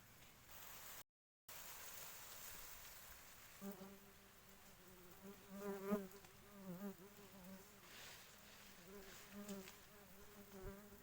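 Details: Queen honey bee: a low steady hum from about four seconds, with a harmonic buzzing tone that swells and pulses, loudest near six seconds, then softer wavering bursts to the end over background hiss.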